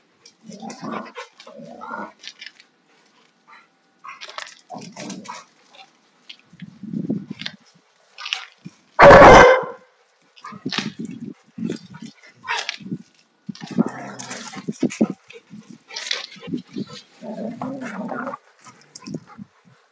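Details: Two Alaskan Malamutes, a 2-year-old male and a 4.5-year-old female, rough playing; she is not in heat and fully shed. Low grumbling growls come in short bursts, with one sharp loud bark midway amid scuffling and thumps.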